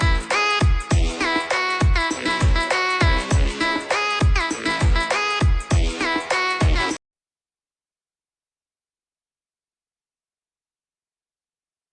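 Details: Upbeat electronic dance music with a steady beat for about seven seconds, then silence, with no animal sounds.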